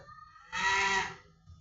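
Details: Pet cat called a good boy at home, giving one drawn-out harmonic meow lasting about two-thirds of a second, while a person speaks Bengali to it between calls.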